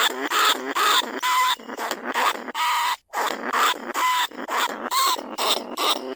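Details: Lesser bandicoot rat held in a cage trap, recorded live in rice fields at Na Lao, Nong Khu Phai, calling other rats; harsh, squealing bursts with tonal whines, repeated about twice a second, with a brief gap near the middle.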